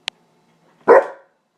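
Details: Krauser, a pet dog who hates the rain, gives one loud, rough bark indoors while it rains, a short burst about a third of a second long after a brief click.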